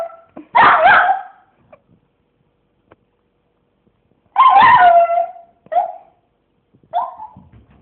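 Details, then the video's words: Dog "singing" with two short, wavering howls separated by a long quiet stretch, followed by a couple of brief yelping notes near the end. "собака поет"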